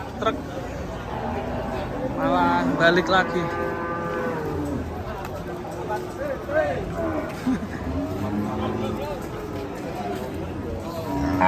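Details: Raging cattle: a loud, drawn-out harmonic moo that swells and wavers over about two seconds, followed by lower, shorter lowing calls amid a busy, noisy background with faint voices.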